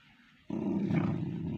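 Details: Pomeranian dog growling as people talk of putting a belt on it: a low, steady, rumbling growl that starts abruptly after a half-second of quiet and holds unbroken to the end.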